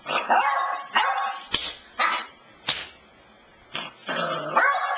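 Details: Dog named Cassidy barking at home by the couch; a long whining howl starts, then clipped single barks roughly once a second with gaps, ending in another sustained wavering whine.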